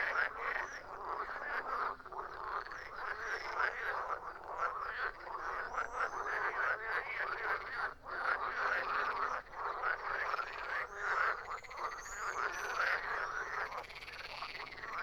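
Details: Long stretch of frogs croaking, a thick, unbroken chorus of grating, pulsed calls with loudness rising and falling in waves and occasional high squeaky notes above.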